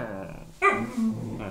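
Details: Siberian Husky puppy a few months old, made to stay outside, which it does not like, giving a rough falling grunting whine with a tonal, growl-like sound under a person's voice.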